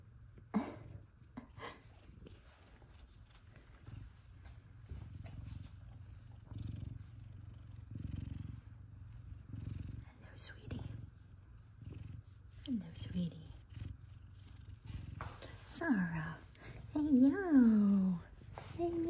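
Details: Two F2 Savannah cats, Kumba and Zara, greet their owner home from work indoors: a steady low rumbling purr runs throughout, with a few descending meows late on, and a woman's greetings heard around it.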